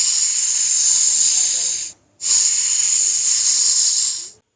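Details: A snake hissing as a warning to threats: two long, steady, breathy hisses of about two seconds each, separated by a brief silence.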